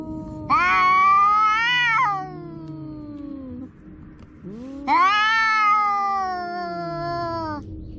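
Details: Two pet cats squaring off in a quarrel. Two drawn-out, wavering yowls, each arching up and then dropping, with a low, descending growl-like moan trailing between them.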